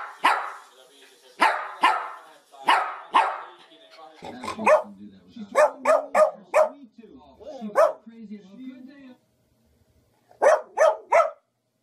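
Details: Happy dogs barking for fun: loud sharp barks at first, then a run of quick barks over lower whiny voice-like sounds, a short quiet gap, and three final barks.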